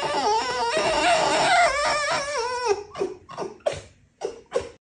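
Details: Domestic red fox vocalizing at bedtime: one long wavering, moaning whine for about three seconds, then a series of short, sharp chuffing bursts spaced unevenly.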